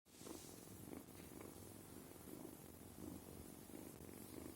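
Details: Sima, a kitten, purring steadily: a low, rumbling vibration that swells and fades in even breathing cycles, roughly twice a second, with faint rustling indoors and no other voices.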